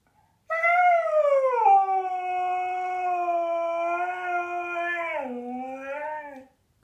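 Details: Zeus, a talkative Siberian Husky indoors on his new outdoor bed on a rainy day, gives one long harmonic howl-like wail about six seconds long, starting higher, dropping, holding steady, then sliding lower at the end.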